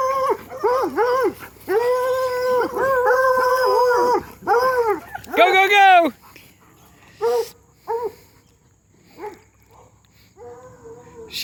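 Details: Hound dogs bay while racing Lucy along a fence. Overlapping, bending howls come in loud bursts from several dogs, with a rapid rising cluster midway. Scattered shorter yelps follow, with a human voice in the gaps.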